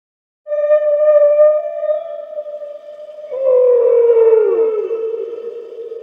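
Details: A whale, whose call is said to carry up to 1,000 miles, gives a long, steady moaning tone, then a lower, wavering call that bends downward.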